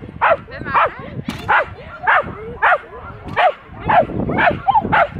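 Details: Aira, a Schapendoes, at the Arendal agility trial in April 2015 (2nd place, A1): quick harsh barks repeated roughly twice a second in a steady, excited series over a murmur of voices.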